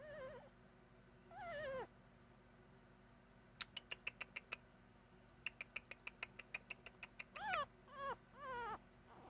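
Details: Young puppy giving warbling, wavering whines at start and end, with two bursts of rapid sharp clicks or ticks in between, against a faint background hum.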